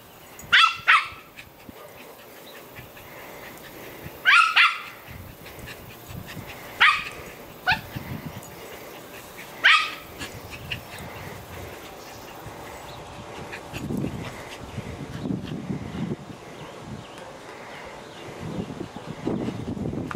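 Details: Poodle kept as a pet, barking while playing tetherball: four loud, sharp single barks spaced roughly two to three seconds apart in the first ten seconds, then only quieter rustling and movement.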